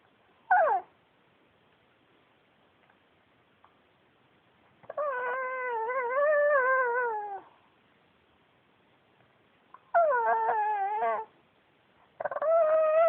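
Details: Yuyu, a male Pekingese adopted from a shelter, talking indoors: a sharp falling yelp, then long drawn-out wavering moans of several seconds each, rising and falling in pitch, with quiet pauses between.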